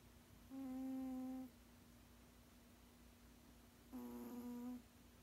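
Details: Elderly male cat, 16 years old, snoring in his sleep: two steady hummed tones, each close to a second long, separated by roughly three seconds of quiet breathing.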